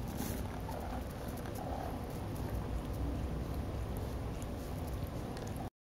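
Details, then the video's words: Malcom, a domestic cat, purring while idle, a purr said to match most cats' highest setting; a steady, dense low rumble runs unbroken for nearly six seconds with a faint hiss above it. "Malcom's purr on idle resembles most cats' highest setting."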